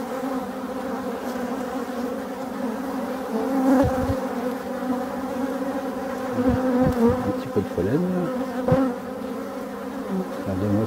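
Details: A dense, low droning hum of many European dark honey bee drones pouring out of forest hives, with individual buzzes sweeping past; Dark honey bee.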